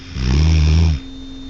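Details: A single deep snore from Tucker, a pet dog asleep at night: one droning, buzzy rumble lasting under a second, then quiet room hum.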